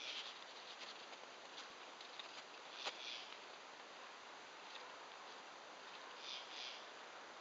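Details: On October 2 in mid-Michigan, late in the season, a katydid, possibly in a big spruce, gives a steady, dry, buzzy rasp with scratchy bursts in an unusual two-note call, and a person speaks briefly. Finding: katydid.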